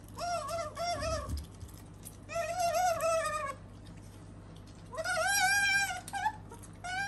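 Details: Indoors, the female otter Sakura utters three long, quavering whines, the last rising sharply at its start, with a soft knock early on and a low electrical hum throughout.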